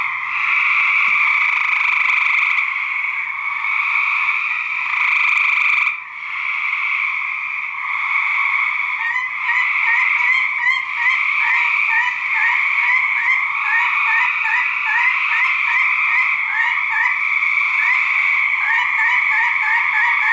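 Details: Male gray treefrogs fight, filling the air with loud, overlapping musical trills as rival males give aggressive calls against each other.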